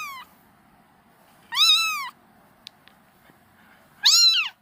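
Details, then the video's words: A kitten calls for its mother with two strong, drawn-out meows that climb and then drop in pitch, the second shorter, separated by quiet pauses with a soft low hum and a couple of faint clicks. "Suara anak kucing memanggil induknya"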